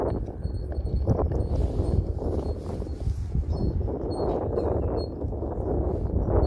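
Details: Hooves of a registered Friesian sport horse in harness, driven at a steady pace, thudding softly and repeatedly, mixed with low rumble and faint metallic jingling.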